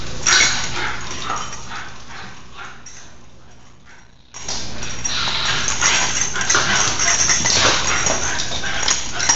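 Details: Two nine-month-old Basenji sisters playing wildly indoors on a rainy day, crashing around the house: rough growls, scuffles and yips in rapid bursts, a quieter lull midway, then loud continuous play noise resumes.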